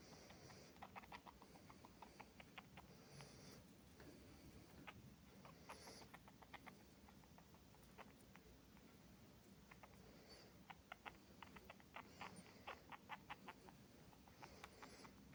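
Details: Pet mouse making noises: irregular bursts of short, sharp clicking ticks, some in quick runs, with a few brief high-pitched squeaks now and then over a soft steady hiss.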